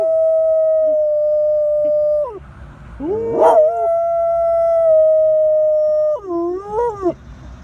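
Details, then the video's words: Two rescue dogs, a medium black spaniel mix and a larger white-and-tan mixed breed, howl at passing sirens, caught on a phone: long steady drawn-out tones, a rising swoop midway, then a wavering, bending ending. "My dogs howl at sirens"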